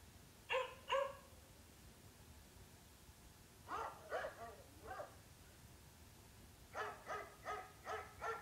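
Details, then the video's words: Dog barking in short bursts: two sharp barks, then a run of three, then five evenly spaced barks, with quiet pauses between groups and no other clear sounds. "Dog, sounds of dogs"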